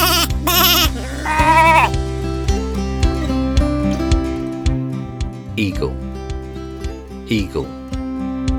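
A lamb gives a short, wavering bleat over steady background music.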